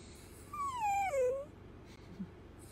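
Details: Playful pet Dachshund, a sausage dog, giving a single drawn-out whimpering whine that slides downward from a high, nasal tone to a lower one over about a second, with rich overtones, then falls quiet.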